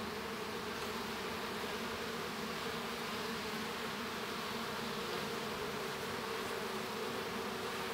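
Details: Continuous colony buzz from a honey bee hive during a young bee's hatching, a thick even drone with strong low humming tones and soft high hiss, no pauses or other sounds.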